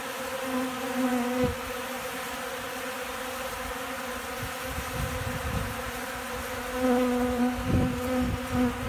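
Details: Hungry honey bees feeding from a hand on a windy day in Central Alabama before rain and storms; steady low droning hum with layered overtones, wind thumps and gusts breaking through at intervals.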